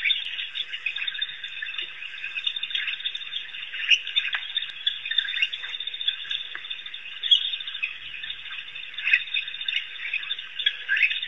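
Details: Painted or Cape hunting dogs, African wild dogs at Pete's Pond, Africa, chattering for a long stretch in shrill, overlapping squeaks and chirps, a steady busy chorus with scattered louder peaks.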